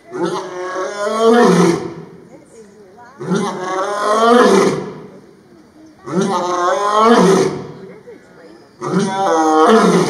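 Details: Zoo lion at Brookfield, Illinois, October 16, 2022, roaring in a series: four powerful, grating, moaning roars about every two and a half seconds, each swelling then fading, with brief quiet breaths in between.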